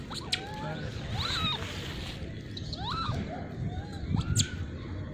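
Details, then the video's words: Wild hungry monkeys gather for food in the Margalla Hills, hand-fed sweet corn; several short arched squeaky calls rise and fall, repeated irregularly over steady low rumbling background noise. "monkey sounds in jungle | wild hungry monkeys gather for food"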